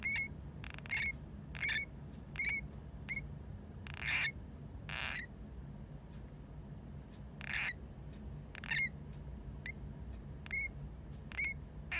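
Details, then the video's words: Pet hamster Hamuzo crying in apparent sleep, maybe snoring: a run of short, high, thin squeaky chirps about twice a second, mixed with a few broader raspy bursts, over quiet indoor hum. "ハムスター 可愛い！おもしろい②寝ぼけてる？いびき？"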